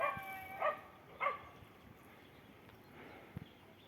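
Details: Cats sheltering at a bus stop in cold weather; two short harmonic mews close together, then a faint trailing call over a steady low outdoor hum.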